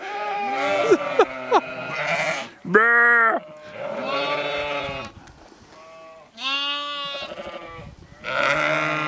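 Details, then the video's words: Several sheep in Skåne, southern Sweden, bleating in turn: wavering, nasal bleats with rich harmonics, each lasting about a second, separated by short pauses, one higher-pitched voice standing out among lower ones. "LUSTIGE SAUER-FÅR-SCHÄFE"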